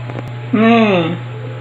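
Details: Meow from a female white kitten with orange and grey markings, about four months old, rescued and up for adoption, filmed in July 2022: one drawn-out, arching tonal call under a steady low electrical hum indoors.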